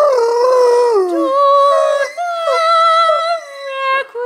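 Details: A female Great Dane lying on a bed howls along while her owner sings, in long, mournful tones that slide down, then hold and waver.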